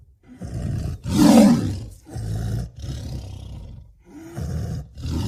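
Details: Tiger giving a series of low, gravelly roars, the loudest a broad rasping blast about a second in, followed by several shorter rumbling growls separated by brief pauses.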